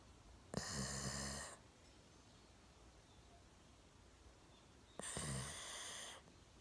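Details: Golden Retriever named Milo, one year old, sleeping deeply on a sofa with his chin resting on a table, snoring indoors: two loud, rasping breath noises about four seconds apart, each lasting roughly a second, with a quiet room between.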